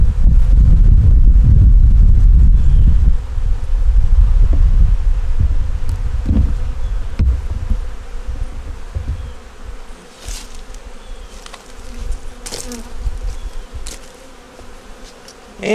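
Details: Winter inspection of a small nuc hive of honey bees with a yellow queen, eggs and brood: loud low rumble of handling at first, then a softer continuous droning hum with scattered clicks and taps as boxes are moved.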